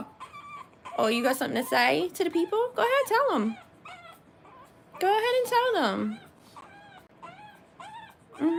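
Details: Three-week-old French Bulldog puppies, born 1/10/25, in a whelping setting indoors: overlapping high, wavering whimpers and squeals in loud bursts around the first three seconds and again near five seconds, with softer single cries between.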